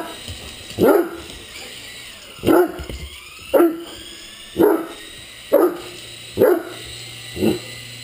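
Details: Single deep barks from a Great Dane at play with a radio-controlled helicopter, seven spaced at irregular intervals of roughly one second, with the helicopter's constant buzzing whine underneath.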